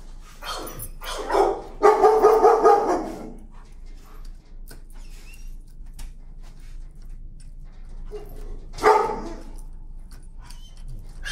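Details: A dog sensitive to the leash protests with strained, harmonic screams during a desensitizing walk. A drawn-out cry of over a second comes early, then after a quiet stretch with faint clicks and footsteps, one shorter outburst.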